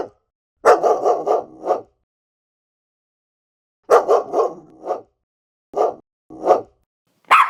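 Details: Dogs of various breeds barking: a fast volley of rough mid-pitched barks, silence for two seconds, another volley, two single barks, and a higher yelp at the end.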